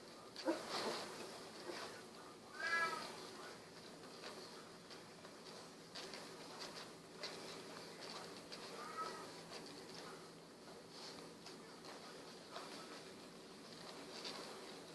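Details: Golden Retriever puppies, sixteen days old with eyes recently opened, wiggling around: a few brief high squeaky whimpers near the start, again close to three seconds and around nine seconds, over a steady soft hiss.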